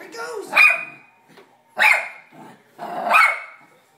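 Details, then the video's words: Sandi, a pet dog, barking at a vacuum cleaner indoors: three loud, sharp barks spaced about 1.3 seconds apart, with brief human talk at the start. "Sandi barking at vacuum"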